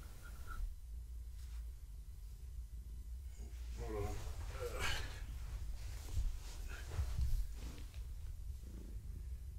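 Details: Pregnant long-haired tabby Gaia keeps up a continuous low rumbling purr under petting, with brief rustling and handling noises breaking in around the middle and near the end.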